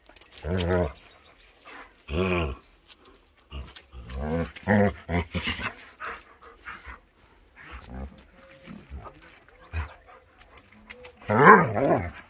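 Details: Akita Inu puppies in crazy play around the yard as the warm season starts; short harmonic growling vocalizations in bursts, with a loud whining growl near the end and scuffling noises between.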